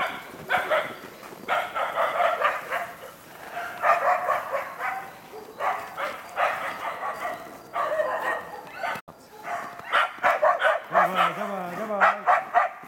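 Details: Two Karelo-Finnish Laikas, a two-year-old and an eight-month-old, bay at a wild boar in an enclosure during trial preparation: fast, dense runs of ringing barks, around four per second, with a wavering whine near the end.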